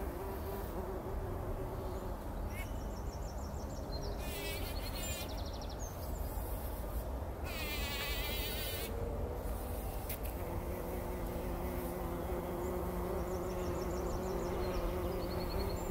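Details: Several bumblebees roll in poppy blossoms, bathing in pollen early in the morning before sunrise in 2019, with a low, steady buzz and faint bird chirps in the background.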